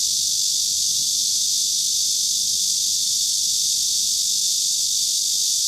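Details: Cicadas singing in Kanazawa, Japan, in 2013, where only Cryptotympana facialis and large brown cicadas were heard: a dense, unbroken, high sizzling hiss holding steady at the same loudness throughout.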